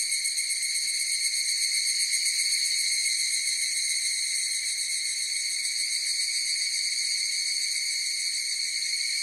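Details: Higurashi cicadas in full chorus, producing a sustained high-pitched metallic trill with a fast throbbing beneath it, strongest in the opening seconds and then holding steady and unbroken.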